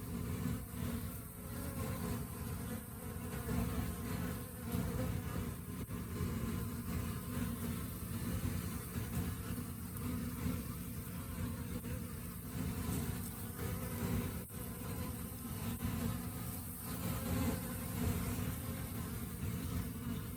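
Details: Honey bees during the rainy season; a steady, dense low buzz throbbing gently in loudness across the whole recording, with a faint higher whine and a soft background rumble.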